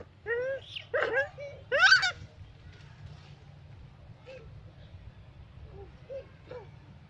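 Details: Butter, a mother monkey with her newborn baby, making a strange sound: three loud, harmonic, arching squeals in the first two seconds, then softer short squeaks, over a low steady hum.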